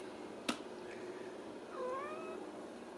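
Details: Ragdoll kitten indoors in a home cattery in central Kansas, giving a single soft, thin meow that rises briefly then levels off, after a sharp click; quiet room.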